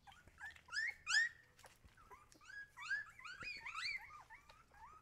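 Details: Siberian Husky puppies whining, high squeaky calls that bend up and down, with two louder cries early and a tumbling series of overlapping whimpers after.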